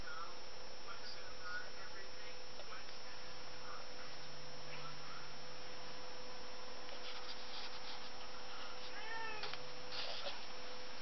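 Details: Zeuss, a cat indoors chasing a fly among windows, couches and curtains, gives a few soft chirping meows early on and a clearer arched meow near the end, over a steady background hum.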